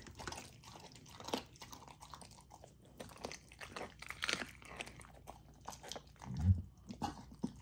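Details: Golden Retriever puppy eating raw food, some of it frozen: loud crunches and wet chewing in uneven bursts, with one heavy low thump near the end, indoors.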